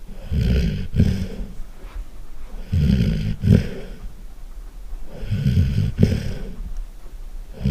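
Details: A sleeping Golden Retriever snores very loudly. Three heavy, low, gurgling snores, each about a second long, come at steady intervals, linked by quieter wheezy breaths.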